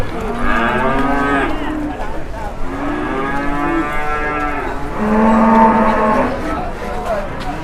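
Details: Large cattle, newly arrived and leaving the pen for the first time, queue for the scale in Indonesia. Three long, rich, harmonic moos follow one another, each swelling and then fading. The last is the loudest.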